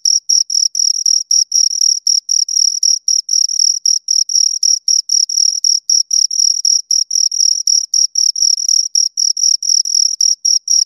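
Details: Two crickets chirping, a steady stream of short, shrill, high-pitched pulses packed closely together with brief gaps, continuous and clean with no other sounds.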